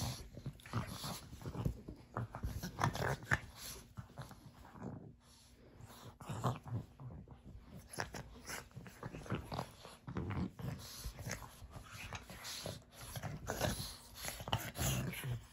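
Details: Pug siblings MiaBella and puppy Apollo play-wrestling indoors: continuous low rough growling and snuffling grunts with rustling and scuffling throughout, rising and falling in bursts, a brief lull midway.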